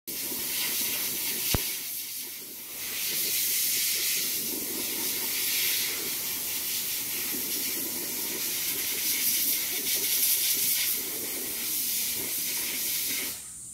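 A black cicada gives a loud, steady, rasping buzz that hardly pauses.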